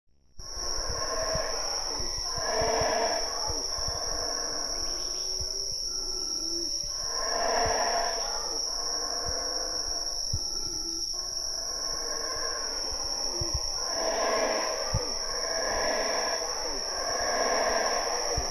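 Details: Howler monkeys roaring in the Chaa Creek jungle of Belize: deep, rasping, swelling bursts repeated every few seconds, layered over a constant high insect drone.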